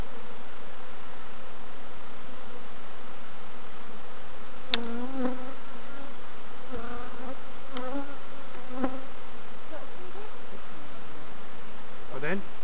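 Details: Hive of bees being inspected by beginners at Summerwood Lane Allotments and Community Garden: a constant low buzzing bed with short pitched whines and scattered handling clicks across the recording.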